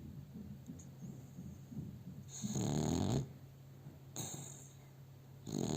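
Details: Pet dog sleeping in its owner's arms and snoring, recorded on a cell phone; a long raspy snore of nearly a second, then shorter snorts about every one to one and a half seconds over a steady low indoor hum.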